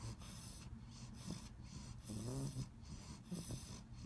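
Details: An English Bulldog puppy fighting falling asleep snores and snorts in low, rumbling breaths, waking up and drifting off again.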